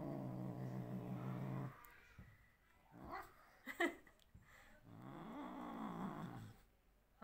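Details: Cat resisting being combed gives a low, steady growl lasting nearly two seconds. Scattered handling noises follow, then a rising and falling drawn-out moan.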